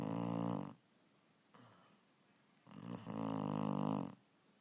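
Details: Sleeping puppy snoring loudly indoors: two long, buzzy, rasping snores with rich low tones, the first lasting under a second, the second about a second and a half, separated by a quieter breathing pause.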